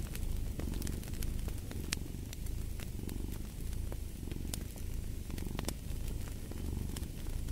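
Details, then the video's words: Domestic cat purring steadily beside a crackling fireplace. The low rumble swells and fades with each breath, about every second and a half, while sharp pops and snaps from the fire cut through above it. "Fall asleep to the Purring of a Cat & Fireplace"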